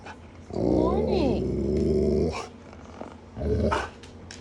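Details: An Alaskan Malamute gives a long, wavering, moaning howl, then a shorter second one, on a morning when the malamutes are asking for their promised big breakfast after an earlier 6:00am feeding.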